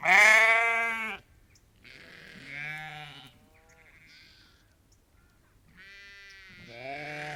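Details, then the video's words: Ewes and lambs, about 30 to 50 animals on a sheep farm, calling: a loud wavering bleat opens, followed by several softer overlapping bleats of varied pitch, then a rising bleat near the end. "Ewes and Lambs Calling"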